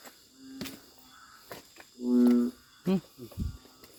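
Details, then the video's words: Loud calling of a narrow-mouthed frog along a Thai creek: a single flat, low, humming bleat lasting about half a second, followed by brief knocks and rustling against a background of buzzing insects. "เสียงดังลั่นห้วย ออกหาส่องอึ่งกัน"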